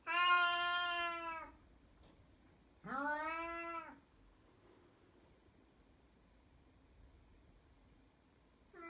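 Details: A nearly 17-year-old blind female Siamese cat gives long, loud, drawn-out howls like a baby's cry, one after another with pauses between; she has done this 8–10 times a day for 4–6 months, and the owner does not know why.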